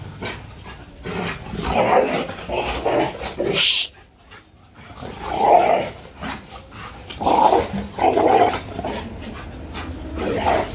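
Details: Two Labrador Retrievers in over-excited play that turns into a small fight: bursts of rough growls and snarling barks in clusters, a brief pause near the middle, then renewed growling; background music faintly present.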